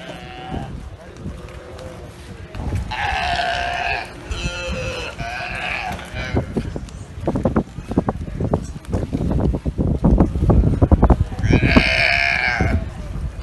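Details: Galapagos sea lions that have taken over a barge at the dock on Santa Cruz Island, Galapagos, large males and smaller females, in a burping contest; deep, throaty belching calls with harmonics, several bursts, over a low rumbling background.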